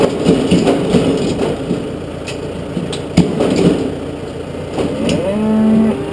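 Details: Galloway bull on a farm during feeding of suckler cows, giving a low, drawn-out moo with a steady harmonic tone near the end of the clip, over a continuous engine rumble and clattering.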